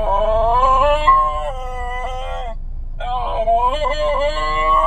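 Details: Basenji singing in a car, unwilling to go home; long wavering harmonic howls with yodel-like bends, a short break near three seconds, then more bending howls, over a low engine rumble.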